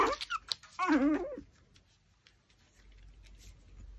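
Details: A Pomeranian, busy eating a raw pork backbone, gives a quick scraping noise and then a short, dipping whine, followed by near silence with faint room noise.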